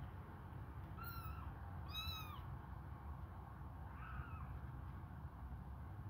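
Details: Three high kitten meows, the first two close together and the last fainter, from hungry kittens suckling on a finger; a low hum runs underneath.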